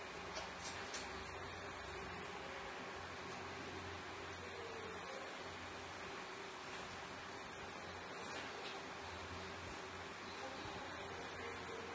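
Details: Steady indoor room hum with a mechanical fan drone and faint, indistinct speech; no animal calls stand out.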